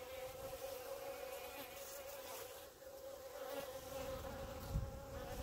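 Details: Honey bees clumped on the grass in front of the hives buzz steadily; a dense, droning hum with a strong tone holds throughout, plus a brief knock near the end.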